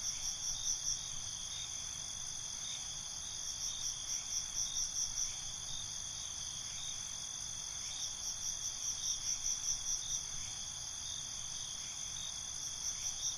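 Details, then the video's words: A night cricket chorus: bursts of quick pulsed chirps return roughly every four seconds over an unbroken shrill trill, with faint low background noise throughout. "Night ambience, Cricket Conversations"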